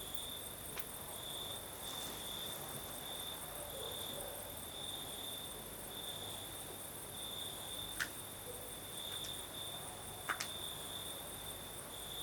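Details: Crimean crickets chirring through a southern night with a gentle breeze: an unbroken high trill with rhythmic beats, a couple of sharp clicks near the end, and a steady low hum in the background.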